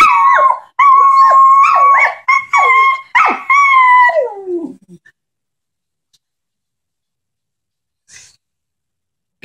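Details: A pair of Shetland sheepdogs singing indoors: overlapping high, wavering howls and yips in quick bursts for about four seconds, ending in a falling whine, then near silence.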